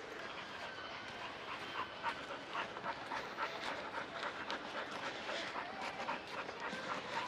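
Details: Samoyed dog, coat shaved short after summer damage and now regrowing, excited at the seaside while sniffing other dogs' scents; rapid breathy panting in rhythmic bursts, about four per second, fairly steady throughout.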